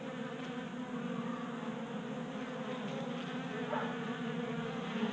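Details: Honey bees feeding at a 3D printed tabletop feeder in a Colorado garage in January, active during unseasonable 60-degree warmth: a continuous low droning hum with layered overtones, swelling slightly near the end.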